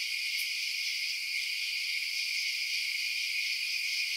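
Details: Crickets chirping after dark make a steady, piercing buzz-like chorus, constant in level, with one faint high tick early on and nothing else heard.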